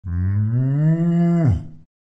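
A cow gives a single long, low moo that rises slightly and then drops off sharply.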